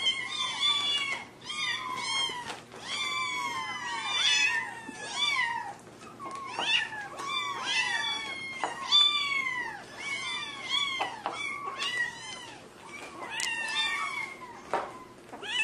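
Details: Several kittens calling over and over in high, thin meows. Each short cry bends up and then down, and the cries overlap in a busy, almost constant chorus.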